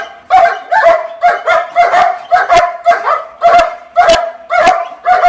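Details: Rachel, a female German Shepherd from N.T. Ayutthaya Kennel, Thailand, barks steadily, about two short hoarse barks per second, evenly paced over the whole stretch.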